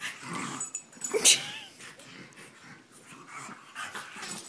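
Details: French Bulldog and English Bulldog in a wrestling match, second round: noisy wheezing snorts and rough short growls, with one sharp loud burst near the middle, then steady breathy huffing.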